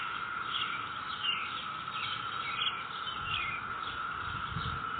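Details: Cicadas in a neighborhood, May 22, 2021, producing an even, sustained buzzing drone; scattered high bird chirps come roughly every two seconds and leaves rustle faintly.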